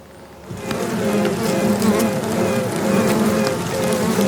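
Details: Queen honey bees piping inside a box, recorded with the microphone held close; short pulsed tones repeated over a steady background hum of buzzing bees.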